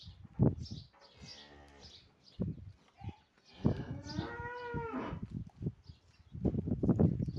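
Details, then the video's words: A cow, described as sold, lowing in a few drawn-out moos with a strong harmonic call near the middle, mixed with thumps and handling noises around it. "#गाय #cow"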